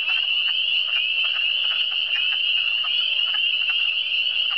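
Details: Frogs calling together in the Eastern Townships (cantons de l'Est): an unbroken piercing trill with frequent short croaks layered below, several overlapping callers giving a busy, pulsing texture.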